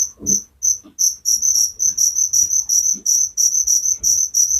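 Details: Sleep-inducing cricket sound: a few spaced high chirps, then a quicker run of bright pulses about three per second, with soft low clicks between them.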